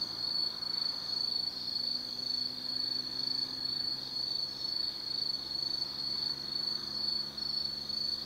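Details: Autumn insects singing at night in the forest of Tsukimi no Mori, Kaizu, Gifu Prefecture, Japan, above the Nobi Plain: a steady, high, shimmering trill that pulses slightly, with a faint low hum underneath.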